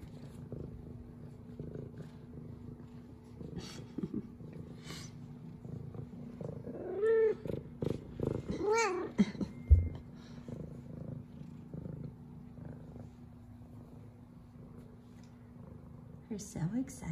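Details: F2 Savannah cat Zara, a sweet female pet, greeting her owner with meows, purrs and headbutts; soft purring underneath, with chirpy rising meows around seven and nine seconds.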